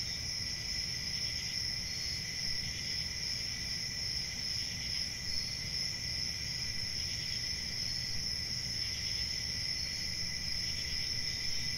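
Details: Crickets at night form a dense, unbroken chorus of high shrill trilling bands that hold steady throughout, over a low rumbling background hum.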